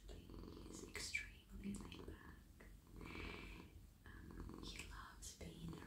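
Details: Male domestic cat being petted and melting into a lap, purring in a continuous low rumble beneath intermittent whispered speech and short hissy rustles from stroking hands.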